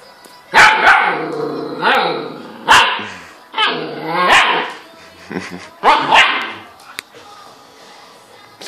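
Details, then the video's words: Dog afraid of a laptop giving a run of about seven loud, harsh barks and yelps at irregular intervals, some drawn out with falling tone, with faint background noise between them. "Dog afraids from laptop."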